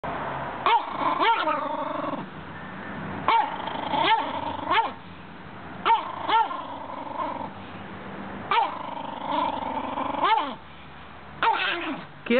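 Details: Schipperke dog angrily defending his bone from a chicken trying to take it; harsh growls interrupted by sharp yapping barks and snarls in repeated bursts every second or two.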